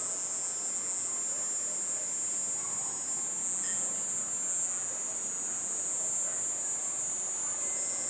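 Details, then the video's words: Cicada in a garden as night falls, producing a sustained high, sizzling tone with a slight regular pulsing on top, steady in loudness from start to finish. "BAT SOUND AND CICADA SOUND"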